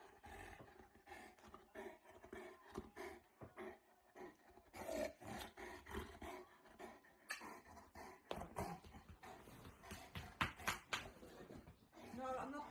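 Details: Boerboel dog at play after stealing a bed, giving rough growls and roaring grumbles in irregular bursts, some rising in pitch near the end, with a person's voice in the room.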